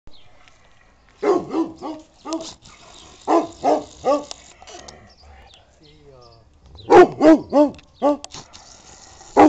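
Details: Old Kuvasz, a Hungarian dog breed, barking only as a warning and not biting: deep, arching barks in two quick bursts of four to six, separated by a quieter pause with a faint whining note.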